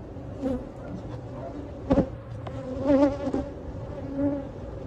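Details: Honey bees buzzing during live removal of a hive built behind a cabinet; steady low droning hum with brief louder swells and a few knocks and clicks of work nearby.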